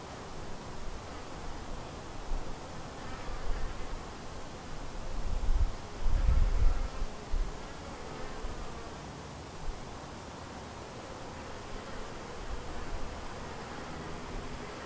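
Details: Honey bees buzzing around a white hive, a colony split from another hive and thriving; a steady low droning hum of many bees, swelling louder midway as bees pass close, then settling back to an even background buzz.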